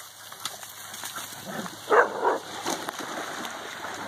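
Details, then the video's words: Central Asian Shepherd Dog (alabai) during play time; two short, strained whine-like vocal bursts close together near the middle, followed by fainter scuffling and rustling against a steady background hiss. "Central Asian shepherd alabai play time"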